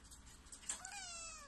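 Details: A domestic cat gives a single drawn-out meow that starts brightly and slides downward in pitch. The room is quiet behind it.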